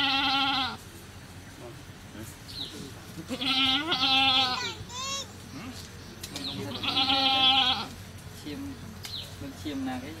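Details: Goat on a cow farm during a birth, with a newly born kid: three loud, wavering harmonic bleats, each under a second long, spaced a few seconds apart, plus a short rising cry between them and light background noise.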